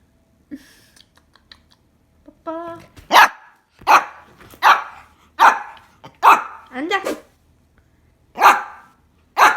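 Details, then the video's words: Pet dog trying to bark and sneezing instead, indoors with family members talking; a run of short, sharp bursts about every second, broadband and explosive, with a higher whining note early on. "짖으려다가 재채기하는 강아지"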